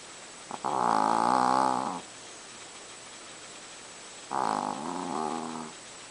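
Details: Chihuahua snoring in deep sleep: two loud, harmonic rasping snores, each about one to one and a half seconds long, separated by a quiet gap of over two seconds, with faint background hiss.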